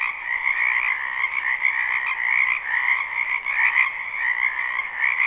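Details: Frogs croaking en masse in a spring wetland behind a house, recorded live without looping: a thick, steady trill of many voices in two layered pitches, with a short clicking burst near the end.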